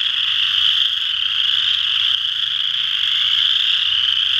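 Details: Steady massed trilling of western chorus frogs from Ojibway Park, Windsor, Ontario, high and even in loudness, over a faint low hum.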